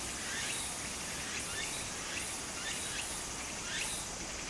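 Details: Summer cicada by a small stream in Japan: faint, very high hissing pulses recur about every half second, rising out of the steady broadband rush of flowing water, with a few soft sweeping chirps beneath.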